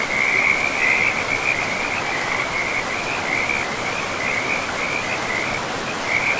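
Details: Frogs calling by a river deep in a pristine forest, a loud, continuous high trill of quick pulses with small dips, set against steady rushing water.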